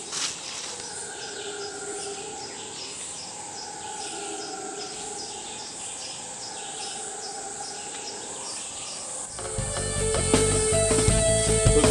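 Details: Monkeys typical of Ilha Grande, Brazil, heard from a forest trail toward Dois Rios, give a low, drawn-out, zombie-like moaning roar in the distance, over a steady high insect buzz.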